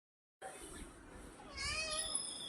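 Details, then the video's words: Pet cat calling to its owner indoors: a clear, high-pitched, drawn-out meow rising in the second half with bright harmonics, preceded by soft room noise and faint background voices. "बाबाला हक्काने आवाज देणारी लाडकी परी"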